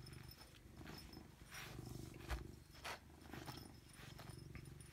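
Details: Domestic cat named Robbie Coltrane purring, a low rumbling drone with soft pulses, broken by a few brief clicks and rustles.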